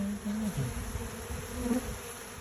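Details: Honey bees buzzing: a low, steady hum comes in short bursts of about half a second, wavering slightly in pitch, with brief gaps between passes, over a constant background hiss.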